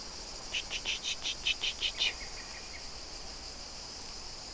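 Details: Cicadas sing in the trees on French château grounds in summer, a quick run of rasping, high "ch-ch-ch" pulses over a steady insect hiss; they have been singing all day for the past week.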